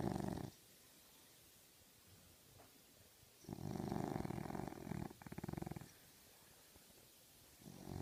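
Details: A French Bulldog, sleeping and dreaming, snores in low, rumbling bursts separated by quiet pauses.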